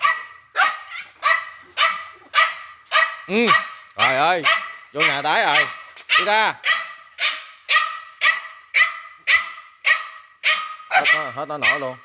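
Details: Dog barking in a steady series, sharp barks about twice a second, broken by a few rising and falling whining yelps.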